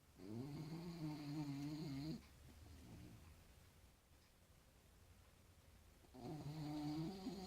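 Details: Snoring dog indoors, two drawn-out droning snores separated by about four seconds of soft breathing and quiet, each snore a low, steady buzz.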